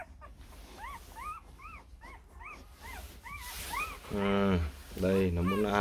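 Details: Rottweiler pups aged four days, offspring of Loki Gervi and Faye, repeat rising-then-falling squeaky whimpers in a steady series, then break into louder, longer, lower-pitched wails near the end.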